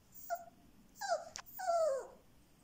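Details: Frightened, trembling male Siberian Husky puppy, black and white, born 7 October 2020, at a Moscow kennel: three soft whimpers, each sliding downward, the last one longest and drawn out, with a faint hiss in the background.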